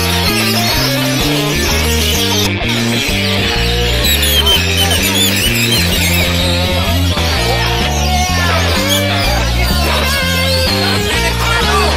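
Loud band music with a heavy bass line and guitar fills throughout; no animal voice can be picked out.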